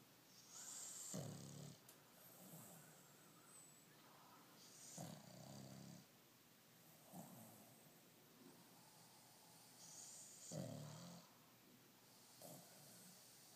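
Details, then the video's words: Sleeping pug snoring softly, with rough, breathy snores recurring every two to three seconds and quiet pauses between them. "Pug rocky snoring"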